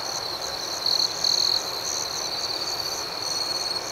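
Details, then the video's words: Crickets chirping at night: a steady high trill with a brief louder, brighter burst near one second and again around one and a half seconds, over soft background hiss. "Soothing Cricket Sounds"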